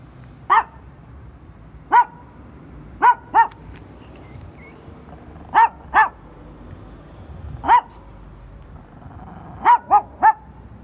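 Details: A dog waiting for its owner gives loud, clipped barks, singly or in quick pairs, spaced one to two seconds apart against a quiet background.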